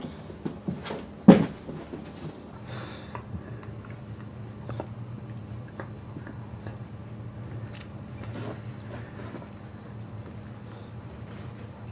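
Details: A quiet indoor room with a sharp knock early on, then soft shuffling and low hum.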